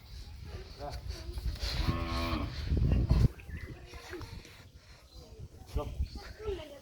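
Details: Cow kept for Eid sacrifice, lowing once in a deep, drawn-out moo with stacked harmonics around the second and third seconds, amid people talking nearby and handling noise.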